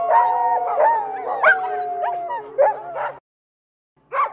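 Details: Dogs howling in chorus with sliding yips and whimper-like rises over held tones, cutting off abruptly into silence, then a brief final burst of howling.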